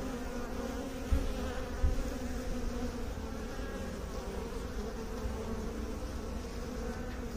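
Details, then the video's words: Bees droning in a steady low hum with a faint tonal band; two soft knocks sound early on against the continuous buzz. "Bee song"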